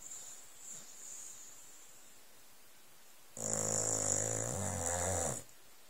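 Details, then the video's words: Old Staffordshire Bull Terrier asleep indoors on cushions on a settee, covered with a blanket, snoring: after quiet breathing, one long rasping snore lasting about two seconds with a hissing edge, then quiet again. "Staffordshire Bull Terrier Snoring, Staffi Snoring"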